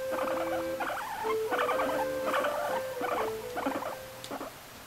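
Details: A pet guinea pig, resting on a freshly washed pet sofa, gives short squeaky, chattering bursts, repeated roughly every second over a steady tone.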